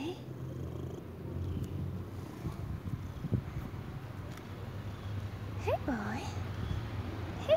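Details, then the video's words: Old white cat purring loudly, a steady low rumbling throughout, while a person talks softly to it and a brief squeaky sound passes near the end. "Old white cat purring loudly"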